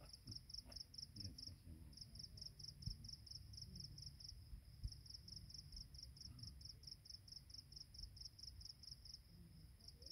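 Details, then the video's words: Dawn insect chorus on a Penang Hill mountain path, a rapid series of high pulsed chirps running almost continuously with one short pause, over a steady high hiss and low rumbling ambient noise with faint scattered clicks. "새벽 산길의 풀벌레 소리"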